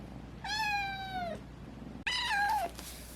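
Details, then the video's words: Domestic cat whose voice is changing, now recovered from FIP, gives two drawn-out meows, the first steady and level, the second starting abruptly, wavering, then sliding down at the end, over a quiet indoor hum. "변성기가 찾아온 고양이"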